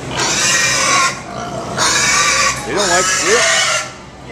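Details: Pigs at the 2017 Minnesota State Fair, upset while being washed, give long loud shrill squeals lasting about a second each, three bursts with a wavering pitched cry near the end, a man's voice close by.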